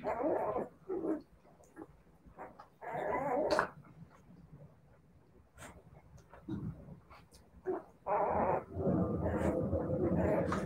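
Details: Siberian Husky puppies giving rough, throaty growling bursts with whimpers mixed in, loud stretches at the start, around three seconds, and from eight seconds onward, separated by quieter gaps.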